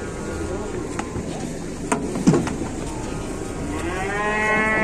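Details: Cow stuck and bent over while dozens of villagers work to rescue it in Indonesia; men talk and clatter at first, then a strained moo rises and swells at the end.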